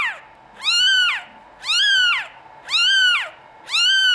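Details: Norwegian Forest Cat kittens of European lines at a cattery, meowing: four loud, clear harmonic meows, each rising then falling, about one per second, in a quiet indoor room.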